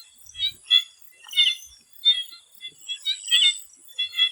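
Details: Before sunset in a swamp in Thailand, frogs give clipped, twangy croaks in uneven bursts. Several voices answer one another over a continuous shrill insect buzz.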